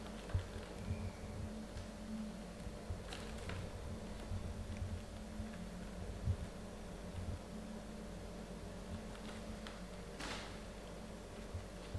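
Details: A quiet room with a low fan-like hum and occasional soft taps and rustles.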